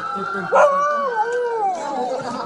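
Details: Dog howling like a wolf in response to a siren: a sustained wavering tone that slides up and down, with a siren-like steady tone running alongside.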